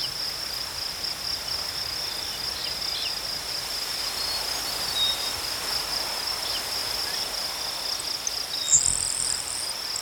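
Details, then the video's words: Crickets trill in a level, sustained high note for ten seconds, a short bright twittering flourish appearing near the end over the constant chorus. "Crickets chirping sounds"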